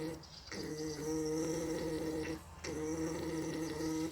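An alpaca makes a steady, droning hum while mating, broken by two brief pauses.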